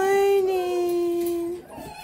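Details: Six-week-old Doberman Pinscher puppies from the Xavi x Kilo litter; a long, steady, tonal whine held for about one and a half seconds, dipping slightly in pitch before fading into softer background sounds.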